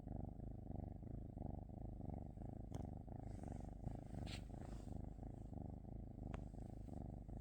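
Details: Low, buzzing purr from a cat, pulsing in gentle cycles of inhaling and exhaling, interrupted by a couple of brief clicks and a soft rustle.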